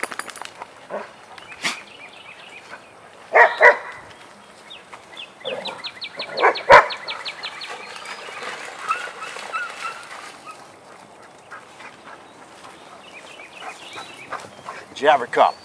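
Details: Vizsla dogs Biscuit and Jericho at play in a den: scattered sharp barks and short yelps, loudest near the start and end, with a rapid series of high chirping bird notes in the middle.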